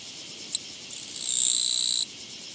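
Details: Japanese katydid encountered on a walking path on 24 August 2017; one short tick, then a high, dry buzzing trill that swells over half a second and holds for about a second before stopping abruptly.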